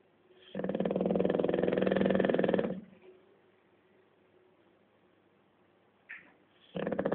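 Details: Rudy, a pet bulldog, asleep during a nap: a loud, rough, rattling snore lasting about two seconds, then a quiet pause with soft breathing, a short snort, and the next heavy rattling snore beginning.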